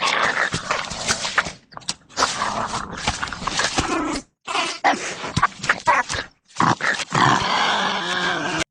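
A wolverine gives harsh, rasping growls and snarls in rough bursts broken by short pauses.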